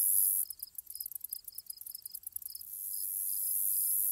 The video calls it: Grasshoppers Ambience Sound Effect